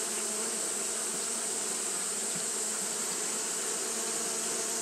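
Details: Steady droning of Japanese honey bees engaged in fanning on a hot day, a low layered buzz with slight flutter and a constant high hiss, nothing else heard.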